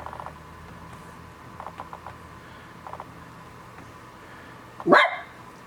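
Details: West Highland White Terrier mother, indoors with her three-week-old puppies as they leave their pen for the first time onto carpet; a single loud, sharp bark near the end follows faint, rapid high ticking squeaks in a quiet room.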